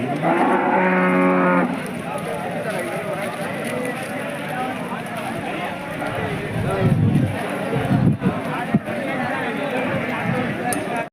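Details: At the weekly Monday KG Temple cattle market, a Hallikar animal gives one strong, harmonic-rich moo lasting about a second, followed by the steady murmur of a crowded market with voices and scattered knocks.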